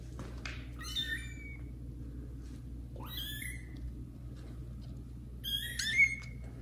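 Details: Loudly meowing kittens Caramel and Zephyr meeting adult cats Kira and Daddy inside a house; three strong, harmonically rich meows, each starting high and sliding down, spaced a few seconds apart with quiet hum between.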